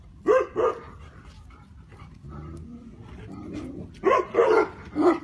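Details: Tibetan Mastiff, grouped with Gaddi, Mongol Bhankhar and Bhutia dogs, giving deep barks: a pair of quick loud barks near the start, then three more in a burst toward the end, with low background murmur between.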